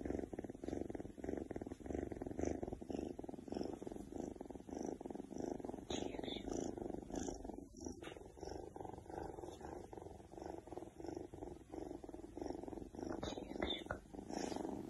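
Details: Oriental Shorthair Keks purring with pleasure; a long, even, throaty rumble with a faint rhythmic pulse, close to the microphone, and a brief soft rustle in the middle.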